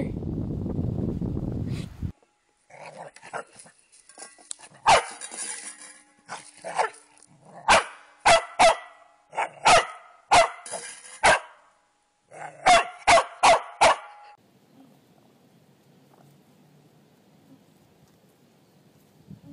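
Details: Corgi barking in sharp, short bursts after a couple of seconds of low rumbling noise: scattered yaps, then a steady run of about six loud barks, a pause, and a rapid cluster of five more before falling quiet.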